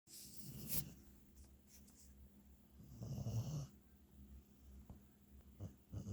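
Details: Hunter the beagle snoring in sleep indoors, low rasping breaths with a louder drawn-out snore near the middle, faint clicks and soft room noise between them.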